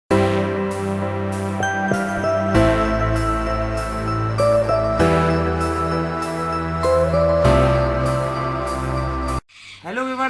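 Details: Soft, steady chiming music with tinkling notes fills almost the whole clip. A short spoken voice appears at the end, and no animal calls can be picked out.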